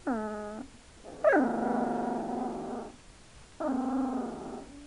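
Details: Hungarian Vizsla puppy at two weeks old giving three drawn-out nasal whines, the middle one longest and starting with a sharp upward squeal before settling into a steady wavering tone.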